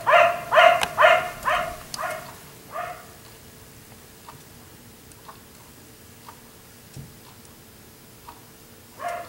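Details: Black Labrador retriever left outside by neighbours until 1am, barking: a quick run of about six harmonic barks, then fainter, sparse barks over a quiet background with a steady low hum.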